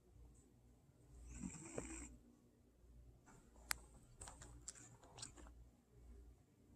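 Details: Old cat asleep and snoring, one raspy, rumbling snore swelling briefly early on, then quieter breathing under scattered sharp clicks and small rustling taps in a quiet indoor room.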